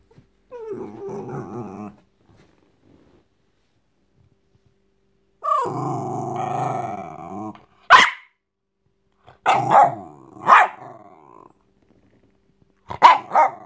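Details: Jack Russell Terrier named Frankie shaking a teddy; two long harmonic growls, then sharp yips and short barks in quick bursts, clear and loud in a quiet room.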